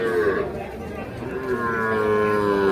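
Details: Young calf at a cattle market in Bangladesh lowing with a drawn-out tonal moo, pitch easing downward, while traders talk nearby and background music plays.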